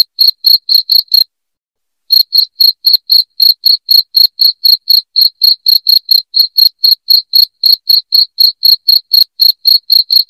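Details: Piercing cricket chirping in an even, fast rhythm of about four pulses per second, interrupted near the start by a brief silence before resuming steadily; no background sounds.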